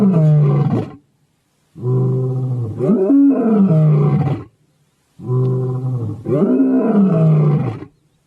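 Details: Lion in a zoo delivering long, drawn-out roars in two paired bouts, each swelling and then sliding down in pitch, with short silent gaps between bouts.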